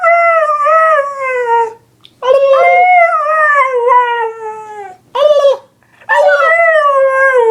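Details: Dog reacting to annoying sounds: long, drawn-out howls that slowly slide downward, with a short sharp yelp between them, loud and close.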